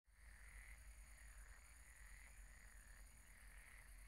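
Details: Several frogs croak at a pond at night in rasping, pulsed bursts that rise and ebb roughly every second, with a thin, steady high-pitched whine, likely an insect, over a low rumble.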